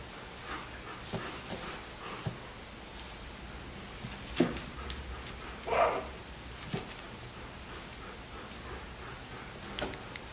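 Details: Puppies of Molly and Nova, three weeks old, playing indoors: a few brief, uneven yips and small bark-like squeaks, the loudest near the middle, over soft scuffling and room noise.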